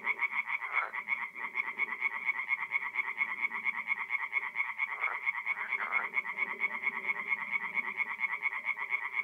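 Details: A night chorus of tree frogs at a forest pond in north-east Italy, mid-April. Many frogs give rapid, nasal, clicking croaks in an unbroken rhythmic wall of sound, with brief louder bursts from nearer callers.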